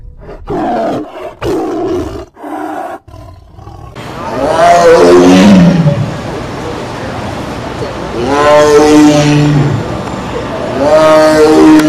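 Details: Tiger roaring, with deep harmonic roars rising and falling at about four, eight and a half and eleven seconds, after a run of short, choppy voice-like bursts at the start.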